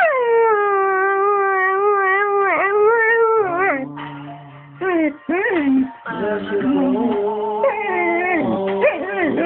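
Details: A dog singing along to You'll Never Walk Alone: long, sustained, wavering howls that dip and slide in pitch, broken by brief pauses, with quieter background music underneath.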